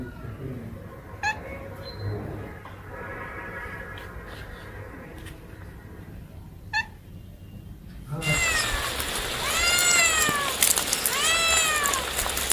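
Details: Cats or kittens meowing: eight seconds of muffled background noise with faint clicks, then a loud burst of several overlapping arched meows that rise and fall in quick succession.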